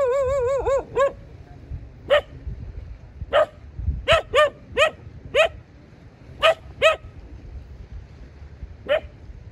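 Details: Domestic dog giving a quick opening burst of rapid barks, then single barks spaced irregularly, one to two seconds apart, each a short arched note with stacked harmonics, over steady low-pitched background noise.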